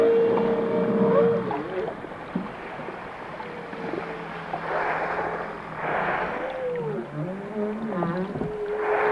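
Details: Varied whale song with a short held tone, wavering swoops, upsweeps and looping moans, interspersed with bursts of broad noisy rasps, over a dense low background rumble.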